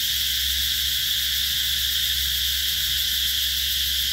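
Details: Steady shrill hum of cicadas in summer 2021 at Mỹ Luông, Chợ Mới district, An Giang, Vietnam, an unbroken high buzzing sheet of sound over a faint low hum.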